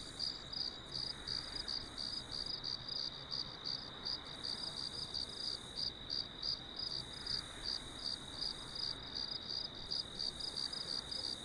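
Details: Cricket chorus meant for relaxing and sleep, with rapid high chirps repeating roughly three per second, brief pauses between bursts, a constant thin ringing tone beneath, and soft low noise.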